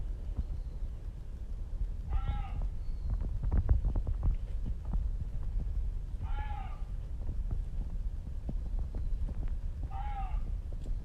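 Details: Unseen Reeves's muntjac calling on Izu Oshima, Japan, heard continuously: three short hoarse barks with a falling harmonic tone, about four seconds apart, over a steady low rumbling background noise.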